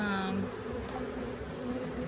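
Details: Honeybee colony buzzing as frames are examined in a beginner's hive inspection, a sugar feeder nearby: continuous low droning hum, with brief speech at the start.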